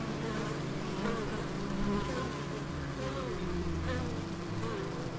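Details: Bees humming among the Biblical Gardens in Elgin, Moray, Scotland; a dense low buzz with several wingbeat pitches sliding up and down as bees come close, steady throughout.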